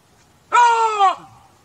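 A chacma baboon gives a single loud, harmonic bark that holds steady, then drops at the end.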